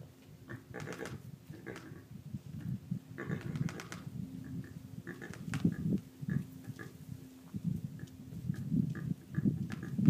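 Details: Javelinas in Arizona, one clicking its teeth in alarm at a nearby person to warn the herd and drive off the intruder. Rapid clattering clicks come in clusters, with deep low grunting and shuffling between them.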